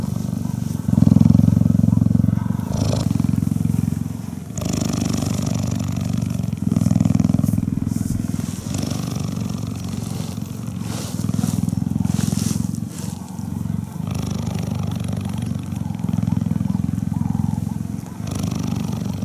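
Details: A female cheetah purrs as she is touched and cuddled, a continuous low vibrating rumble, loudest in the first seven seconds, then softer and steadier, with occasional rustles and handling noises.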